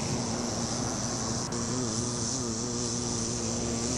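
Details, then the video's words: Bee on a flower making a continuous low buzzing drone with wavering harmonics, a short tick partway through, over a constant high-pitched hiss. "Sound Effect - Bee On A Flower"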